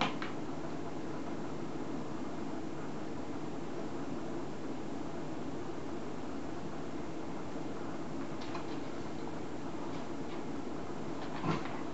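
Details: A constant whirring fan or air-conditioner drone fills a small indoor room, with a couple of faint clicks near the end.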